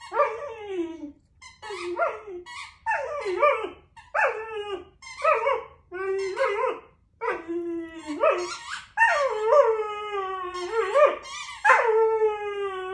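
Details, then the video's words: Puppy whining with his squeaky toy, a series of high, wavering harmonic whines in short bursts, some rising and falling, repeated about every second with brief pauses. "Super cute puppy whining with his toy"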